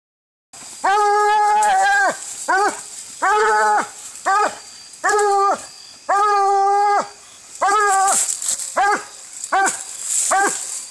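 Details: Treeing Walker Coonhound in a fight while coon hunting, recorded on an Android phone: loud, drawn-out howling bays and shorter barks in rapid succession, about ten voiced bursts in ten seconds, some rising into strained yelps.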